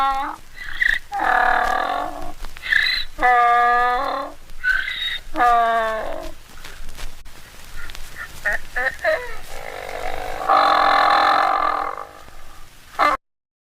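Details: Mule or donkey braying: rich, harmonic honks alternating between higher and lower tones in a seesawing series over the first seven seconds, then scattered grunts and a long, harsh, noisy bray near the end before an abrupt cut.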